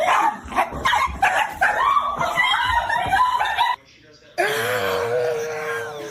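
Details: Pet Dachshund, a wiener dog, barking in short yipping bursts in a domestic room, with people laughing and talking over the barks and a brief silent gap before a steadier sustained tone.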